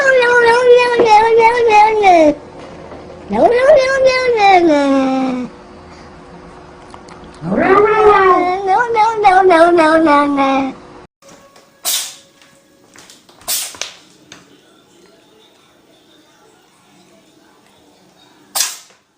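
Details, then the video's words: Domestic cat giving three long, drawn-out wailing meows, each about two seconds, rising then sliding down in pitch, followed by quieter sharp clicks and knocks. "Funny Cats VOICES compilation : Meowing"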